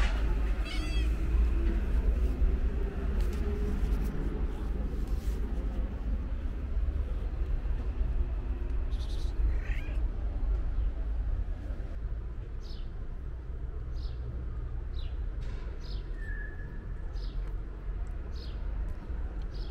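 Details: Pregnant stray calico cat waiting in front of a market gives a short, rising, harmonic meow near the start, then falls quiet. Low traffic rumble runs throughout, with faint clicks and a brief chirp later on.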